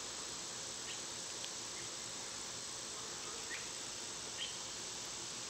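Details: Cicadas in summer, loud at this time of year, give an unbroken, hissing high drone that holds steady throughout, with a few faint, brief bird chirps far behind.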